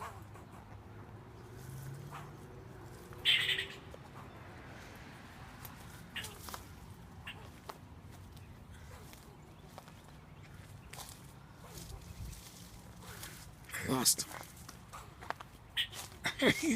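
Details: A squirrel barking at a person sitting outside on a pleasant day; a few sharp, brief chirp-like barks, one early on and a cluster of quick clicks and barks near the end, over a quiet low hum.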